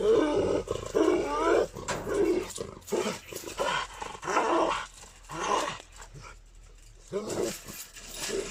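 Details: Gultair dog from Pakistan, a breed called dangerous and aggressive, giving a run of rough, throaty growling barks in uneven bursts roughly once a second, with pauses between and some background noise.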